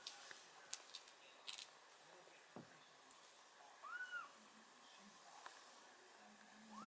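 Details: An 8-week-old British Shorthair kitten gives one high, thin meow that rises and falls, amid soft handling clicks.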